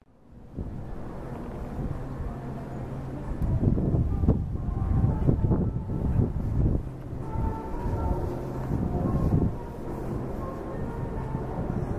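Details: Low rumbling vehicle or train noise with clanks and wind, and no clear animal voice.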